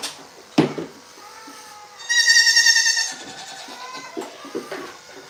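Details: Goat on The Willful Goat Farm & Home, one loud harmonic bleat lasting about a second, with a wavering, quivering tone, after a sharp knock; quieter bleats and indoor rustling follow.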